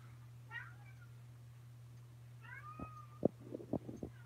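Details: Kittens indoors at Alley to Attic, Alabama, on 28 May 2018: a brief wavering meow, then a longer drawn-out meow that rises and levels off, followed by several sharp knocks and thumps, all over a constant low hum.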